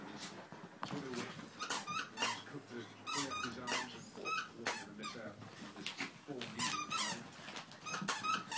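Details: Three Chihuahua puppies at play: short high squeaky yips and whines in quick bursts, mixed with scuffling clicks and scratches, with a person speaking throughout.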